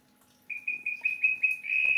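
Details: Male Melanophryniscus klappenbachi toad in the rainy season, giving a high steady whistle broken into short pulses that run together into a continuous tone near the end.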